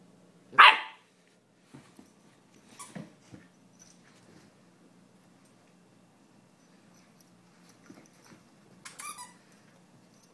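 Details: German Shepherd named Sam, a female, playing tug-of-war indoors: one sharp, loud bark near the start, then softer scuffling, a faint later bark and quiet room noise.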